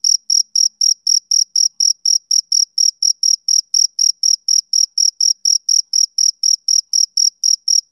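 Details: High, crisp chirps from a male cricket on a summer evening, each one short and identical, repeating in a regular beat of about four per second over an otherwise silent background.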